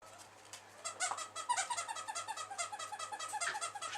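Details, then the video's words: Eight-week-old male bulldog puppy snoring: quick, pulsing nasal snorts with a whistly, tonal edge, several per second, swelling after a quieter first second and holding steady to the end. "Snoring Bull Aken"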